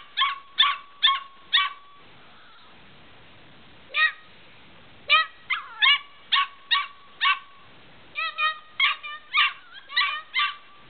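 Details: Medium-sized Australian Shepherd puppy letting out quick, shrill yelps in rapid runs of three to five, broken by brief pauses and an occasional drawn-out whining note.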